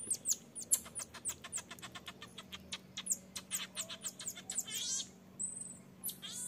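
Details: Infant marmoset begging from its refusing mother to nurse; a fast, steady train of sharp, high-pitched chirps and ticks, a short thin whistle near the end, over a low constant hum.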